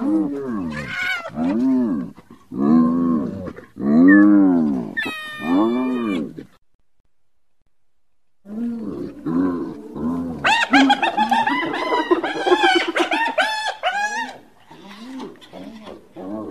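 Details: Hyena vocalising: several separate low, arched whooping notes, a brief high tonal wail, silence, then a fast, dense, high-pitched cackling sequence that fades out.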